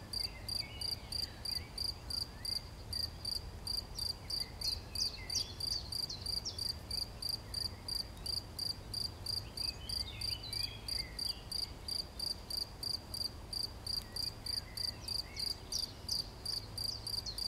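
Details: Chirping cricket, 11 June 2020: a long, regular series of shrill pulses roughly three each second, with faint scattered bird twitters underneath.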